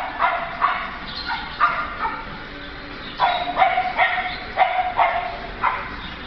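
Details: Beagle in a pet shop giving sharp, high yipping barks, about a dozen in quick bursts spaced roughly half a second to a second apart, over a low steady indoor hum.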